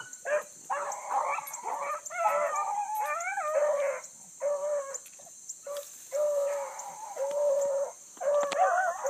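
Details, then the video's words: Pack of Bluetick Coonhounds hot on a big running rabbit in the early morning, a new pup learning with them; overlapping bawling bays, some rising and bending, sound almost without pause, over a constant high insect-like hiss. "THE BLUE'S ON A BIG RUNNING RABBIT"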